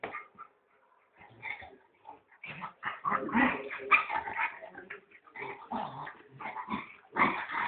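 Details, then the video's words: Puppy indoors giving rapid, high yapping barks and yips in uneven bursts, about two per second, with short pauses between runs of sharp calls. "babi dog"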